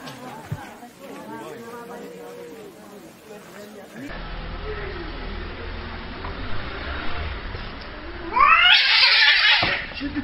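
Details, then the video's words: Cats fighting: drawn-out, wavering yowls with arching harmonic contours over the first few seconds, then a harsh, noisy hissing burst near the end, with human voices in the background. "BRUTAL CAT FIGHT"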